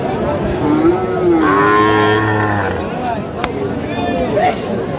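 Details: Sahiwal bull calf at a Sirajganj cattle market in Bangladesh, with a sustained harmonic moo rising then holding for about two seconds, followed by a shorter low call amid market chatter.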